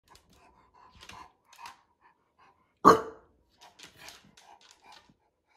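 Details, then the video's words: Bulldog barking when ignored: one sharp, loud bark in the middle, with softer low murmurs and small noises before and after. "Ignoring a Bulldog… barks and backlash"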